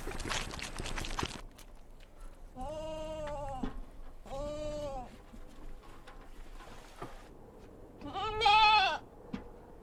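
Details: Kid goats at a mountain farm: after a burst of hissing noise, two lower, steady bleats about a second apart, then a louder, higher, wavering bleat near the end, over background murmur.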